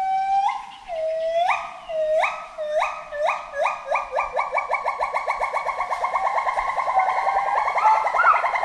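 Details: Forest monkey in a long rising series: swooping whistled notes start slow, then speed up and climb in pitch into a fast, continuous run of hoots with strong overtones.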